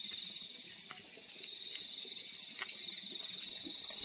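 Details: Crickets in fields at night: a constant high-pitched trill with rapid pulsed chirp bursts repeating every half second or so, and scattered clicks and low rustling.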